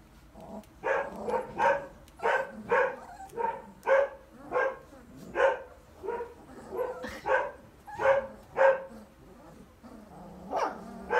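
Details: Three-week-old puppy litter-mates playing and fighting in a puppy pen, Mr. Black among them; steady run of short, thin squealing yips and whines, about two per second, some rising then breaking off.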